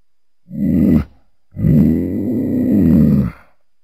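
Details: Mountain lion voicing a short low groan followed by a longer rumbling, throaty growl of nearly two seconds, deep and harmonic-rich.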